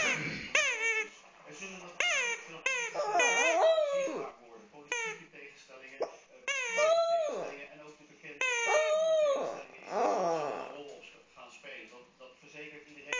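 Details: Dog named Fluffy whines and cries while playing with his stuffed toy indoors; repeated high wavering cries, some rising then falling, interrupted by short yips and faint background voices.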